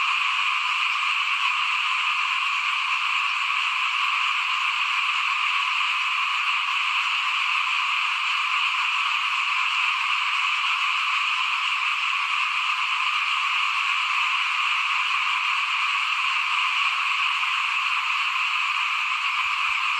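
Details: Steady chorus of many frogs near a house during rice sowing in 2021, a constant high-pitched trilling hum of overlapping calls that stays even in loudness from start to finish.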